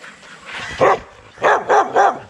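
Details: Young Rottweilers in a kennel exercise yard give loud, sharp barks: one bark, a pause, then three quick barks in a row.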